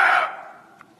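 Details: Sambar deer (Rusa unicolor), alarm call: warning of a tiger.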